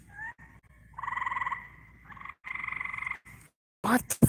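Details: Two frogs, caught mating outdoors by a pool at night after weeks of daily rain, give nasal, rattling croaks in several half-second bursts, calling back and forth, with a person speaking briefly at the end; frog.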